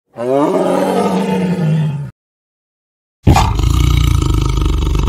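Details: A tiger in the wild gives a deep, rumbling roar with a rough growling edge, heard in two bursts.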